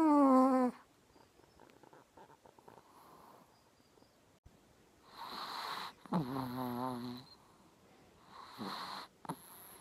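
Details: Sleeping fat Chihuahua gives repeated whistling, nasal snores, some clean and tonal, others rasping and snorty. They come every few seconds with quiet, crackly breaths between them, in a small indoor room.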